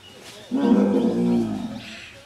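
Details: Leopard (Panthera pardus) gives one harsh, rasping snarl-growl lasting about a second, then a lower rumble, during a fight up a Sterculia tree in Panna National Park, India, after being treed by another, more dominant leopard waiting below.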